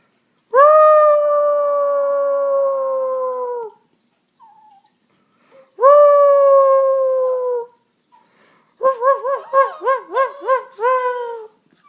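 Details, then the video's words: Family dogs crying in two long drawn-out howls separated by quiet, followed by a rapid run of about seven wavering, yodel-like notes. "When Dogs Cry"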